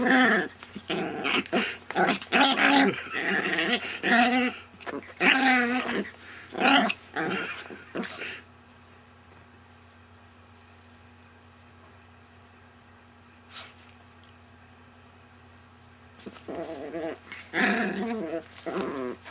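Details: Friendly pet Chihuahua giving repeated grumbling, whiny harmonic vocalizations for about eight seconds, then a quiet stretch, then another burst of vocal sounds. Human voices are mixed in.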